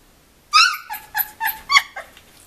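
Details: Two-week-old puppies from a 2015 litter, indoors: a loud high yelp followed by four shorter squeaky whines in quick succession, then quiet.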